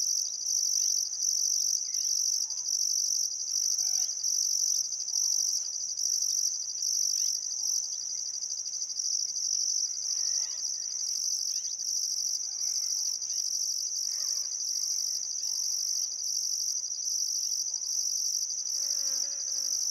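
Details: Crickets chirping at sunset by the Barcoo River in Welford National Park, Outback Queensland, Australia, on a still summer afternoon; a steady high shrill trill pulsing in bursts, with faint scattered birdcalls beneath.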